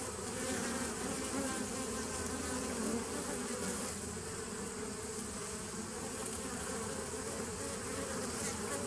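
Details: Continuous humming of bees on 27 September 2018: an unbroken low drone with a faint steady pitch band, slight swells in intensity and a wash of higher hiss, uninterrupted by other sounds.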